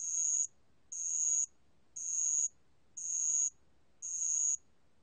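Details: Spotted bell cricket song from the National Institute of Biological Resources, 2020: five evenly spaced, high ringing chirps, each about half a second, separated by roughly half-second silences.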